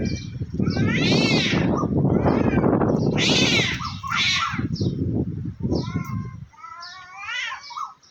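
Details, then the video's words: Two cats, one black and one white, confronting each other high in a tree, threatening rather than fighting: loud drawn-out wavering meows and yowls rise and fall over heavy low rumbling and handling noise, with voices talking nearby. "Two cats are fighting on top of a tree, making a loud meowing noise. They're just threatening"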